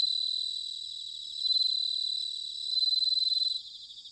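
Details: Autumn bell cricket song from Sanuki in Chiba, Japan: a high, pure ringing trill built of quick pulses, rising into two stronger swells near 1.5 and 2.8 seconds before stopping abruptly.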